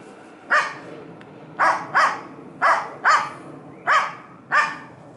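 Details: Dog barking, apparently at a squirrel: six loud, sharp barks, some doubled, at irregular intervals of about one second over five seconds, with a faint background hum.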